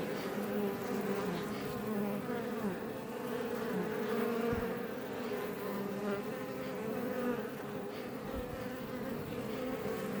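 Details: Many Iberian honey bees outside a Langstroth hive west of Roquetes, south Tarragona, Catalonia, recorded up close: thick, unbroken humming drone with shifting, wavering tones from individual fliers and a couple of faint low bumps.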